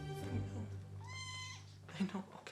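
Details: Kitten about four weeks old, one of a litter kept hidden in a bathroom by a Los Angeles feral-cat rescuer, meows while having its eyes cleaned: a single drawn-out high cry, steady then sagging, over a low hum, faint music and a woman's voice.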